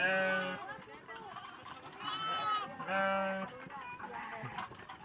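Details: Restless sheep in a farm pen, about to be let out; several overlapping wavering bleats come in three bursts over people talking.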